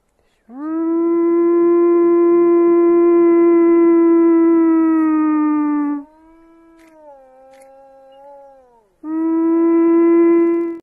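A wolf howls in long, steady, mid-pitched notes, then a softer, lower wavering tone.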